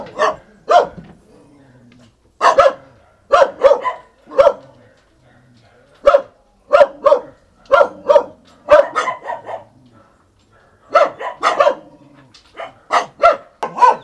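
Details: A black-and-tan Jindo dog, filmed around mating, gives sharp, repeated barks in irregular bursts, often in quick pairs.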